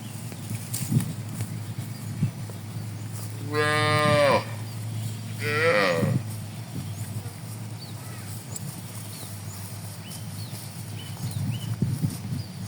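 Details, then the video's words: Tame cattle in a broad green rice field, moving slowly while grazing on fresh grass in the morning: two moos, the first a longer harmonic low call, the second shorter, among steady low rural background noise. "Suara Sapiii"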